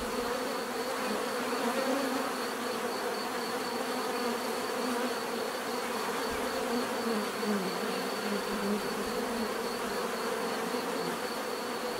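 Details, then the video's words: Many bees buzzing together outdoors, a dense unbroken hum with several wavering pitches gliding up and down as individual insects move nearer and away. "bees therapy relaxing natural buzzing sound"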